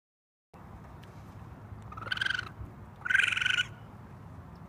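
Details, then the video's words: Baby raccoon on a roof screaming for its mother: two harsh, harmonic-rich cries about a second apart, the second louder and longer, over a low steady background hum. "Raccoon Baby Screaming for Mom on the Roof!"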